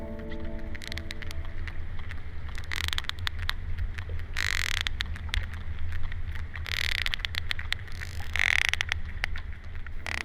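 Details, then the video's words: Sperm whales off Faial in the Azores, North Atlantic, exchange sharp, irregular bursts of clicks, a click pattern of relaxed social chatter among them, over a low engine hum. "Ja, so hört sich ein entspannter Smalltalk unter Pottwalen an."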